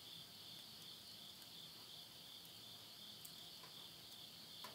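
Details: Insects calling at midnight at the end of summer, September 2020, in the countryside of Yurihama, Tottori, Japan: a steady, high, shimmering trill runs without pause, with faint pops of burning wood from a stove nearby.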